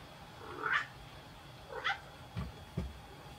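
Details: Pregnant adult female Maine Coon at a breeding cattery in Tokyo, Japan, giving two short, rising-falling meows about a second apart, followed by two low soft thumps against a quiet indoor background.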